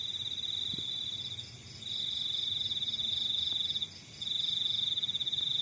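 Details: A cricket in the countryside sings thin, high-pitched trills of rapid pulses, each lasting one to two seconds, separated by short silences over a faint low rumble.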